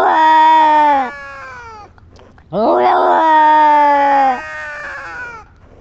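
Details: Female pet cat, reacting after a scratching episode, gives two drawn-out, strongly voiced wailing meows. The first lasts about one second and the second about two. Both hold a steady, slightly falling pitch, with a short quiet gap between them.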